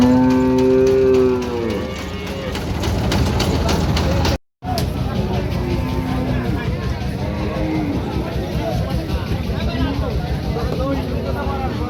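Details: Local Bangladeshi cattle being unloaded at a cattle market: a loud moo lasting about two seconds opens, falling at its end, followed by engine noise, voices and fainter distant lowing.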